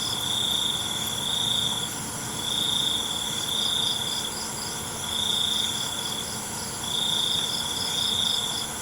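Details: Crickets at night produce a piercing, steady trill in repeated swells about a second long, separated by short lulls, beneath a constant high-pitched insect chorus.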